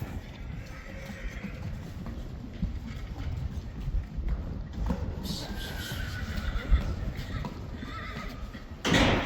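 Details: Friesian horse at Stal G, where the last two foals are being weaned and kept together in an arena; a drawn-out harmonic whinny rises through the second half over steady low rumble and scattered hoof thuds.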